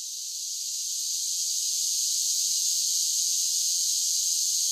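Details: Summer cicada song, a thin, high, continuous buzzing hiss that builds gently in loudness over the first seconds, then stays level and unbroken.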